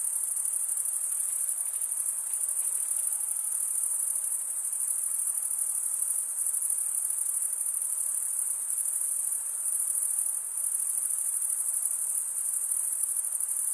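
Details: Continuous cricket chirping, a high, thin, even trill with slight pulsing in loudness, carried on without pause for the whole stretch over a soft background hiss.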